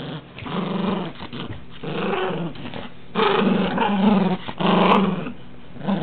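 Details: Pet dog named Rambo growling loudly while playing roughly with his toys indoors; low, rumbling harmonic growls come in bursts of one to two seconds, rising in intensity toward the end, with brief pauses between.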